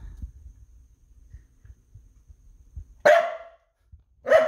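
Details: Two loud, abrupt barks from Noodles the dog, the second coming about a second after the first, following several seconds of low background rumble and soft knocks.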